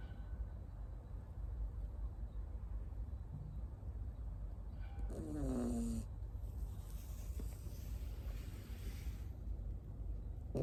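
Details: Tamago, a Miniature Schnauzer puppy born 9 October 2021 in Nago, Okinawa and raised in Osaka, dozes on a lap; after long quiet breathing, one brief descending whiny snore sounds midway, with soft hum throughout.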